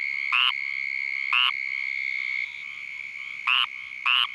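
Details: Squirrel treefrog calling in Vero Beach, Florida, while Uranotaenia lowii mosquitoes, which find their host by its call, bite it. Two raspy nasal notes, a long silence, then two more, set against a continuous shrill background hum.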